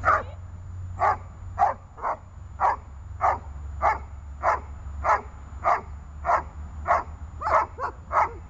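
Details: Guard training for the dog Runa, holding and barking: evenly paced loud barks, about one every half second to second, strong and clear over faint low hum.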